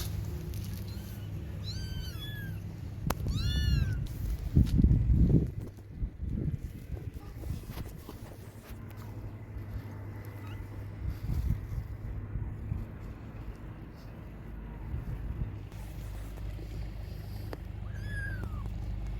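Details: Kittens calling for their mother's milk: a burst of high, curved mews at the start, a stretch of thumps and handling noise, then one last cry near the end over a steady low drone.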